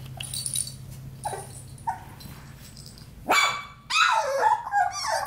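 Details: Playtime among four-week-old Australian Labradoodle puppies: faint high squeaks at first, then a sudden loud yelp and a run of squealing, wavering whimpers near the end, over a low background hum.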